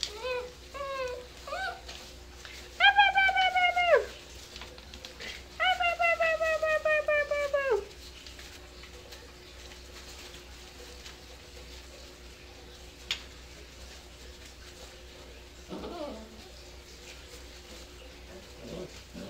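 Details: Seven-week-old dachshund-basset mix puppies at play indoors: a few soft squeaks, then two long, high, steady whines rich in overtones, each dipping slightly at the end, over a low room hum.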